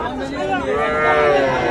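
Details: Cattle at the traditional Ambari cattle market in Parbatipur, Dinajpur, Bangladesh, on 24 May 2024, where small bulls and heifer calves are sold. A drawn-out, even moo rises and holds over steady crowd chatter and voices.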